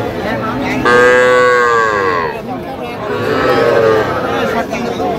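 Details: At a Manikganj cattle market in Bangladesh, 10 September 2025, Sahiwal bull and heifer calves are sold to farmers. Two long, harmonic moos are heard, the first loud and sustained, the second shorter and softer, over a background of people talking.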